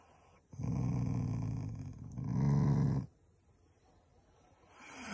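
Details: Growling Shiba Inu, family dog showing affection to its owners, not anger; one sustained low rumbling growl of about two and a half seconds swelling toward its end, then quiet room noise.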